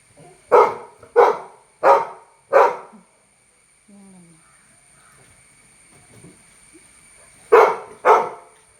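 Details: Labrador Retriever named Toby, at home with a large crab caught in the garden. It gives four loud, deep barks about 0.6 seconds apart, then a quiet pause with faint voices, then two more barks.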